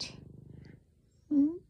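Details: Bear, a chonky diabetic black cat, purring loudly while lying on a couch: a low, rapid, rattling purr lasting under a second, then a short, higher voiced note after a pause.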